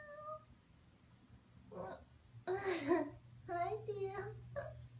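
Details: A dreaming husky 'talks' in its sleep: a brief high whine, then a louder, rough, drawn-out moaning yowl and a wavering, warbling groan, followed by a short final whimper, all over a low hum.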